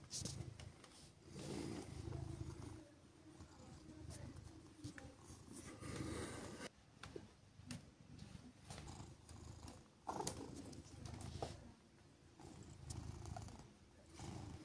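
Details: Gentle pets on a chilly morning keep Siberia, a female silver tabby cat, purring; the low rumble pulses in repeated in-and-out waves, partly masked by rustling, fur handling and occasional sharp bumps.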